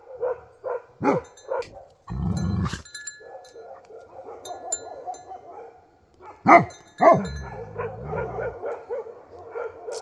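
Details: Nepali Bhote Kukur (Himalayan sheepdog) barking sharply several times, with a low rumbling noise and a murmuring, pulsing background between barks.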